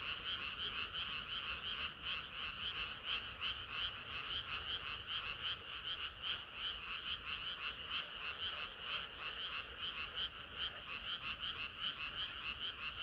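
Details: Chorus of frogs on a hot summer night, rapid pulsed croaks repeating almost three times a second in a dense, steady, buzzy trill with a softer layer beneath.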